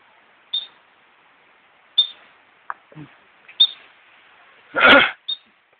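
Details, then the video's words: Wild squirrel on the Mist Trail in Yosemite Park, hiccuping and drawing a crowd of hikers; short, sharp high chirps repeat about every one and a half seconds, with a brief louder burst of other noise near the end. "Squirrel having hiccups"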